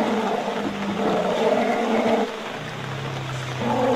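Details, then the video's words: Herd of Asian elephants being harassed by a tiger in the jungle of Royal Belum State Park, Perak, Malaysia, giving sustained harmonic vocalizations that drop to a lower, steady drone partway through before rising again. "Sounds of elphants being harrassed by a tiger, Malaysia"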